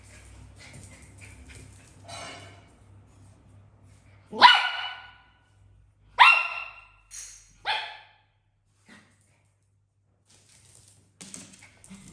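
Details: A dog named Africa, living in a house with cats and other exotic animals, barks wanting to play with cats that are already tired: after a quiet stretch come loud, sharp barks around mid-clip, then a softer bark and faint household noise.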